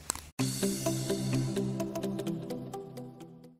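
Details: A short burst of electronic music with sustained tones and light beats fades out, and no animal sound is heard.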